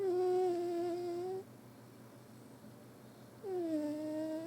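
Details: Sleeping cat Billi snoring deeply indoors: a steady whistled tone lasting over a second, a quiet gap, then a second tone that dips and flattens out.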